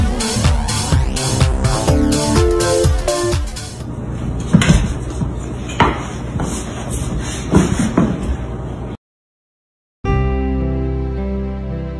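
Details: Upbeat electronic music with a thumping beat and a brief door-like knock, then a full second of silence before the music returns; no animal voice is heard.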